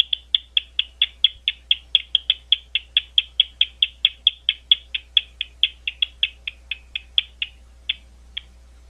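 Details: Bat calling at Gwynne Conservation Area outside London, Ohio, land owned and maintained by Ohio State University; sharp dry clicks in a steady train, a little over two per second, fading out near the end over a low steady hum.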